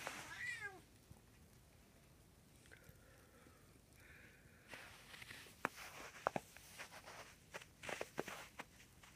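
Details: Black domestic cat on Long Island in snowy weather meows once, a short bent harmonic cry near the start, then quieter faint tones and scattered clicks and taps fill the rest.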